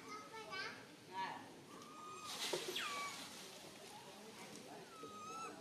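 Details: A tiny baby monkey, stuck alone high in a tree and very fearful, gives high, harmonic whistled cries, some sliding sharply downward, calling for its mother.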